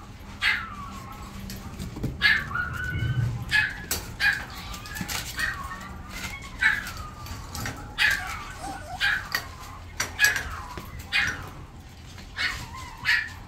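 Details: Italian Greyhound puppy, the smallest female of a litter, giving repeated high whining yelps, short rising-and-falling cries about every second, over steady low background hum.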